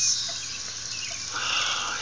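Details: Cicadas, filmed in close range, give a loud, continuous, hissing buzz with most of its energy high up. The buzz stays steady, swells slightly toward the end, and carries a faint whistle-like streak above it.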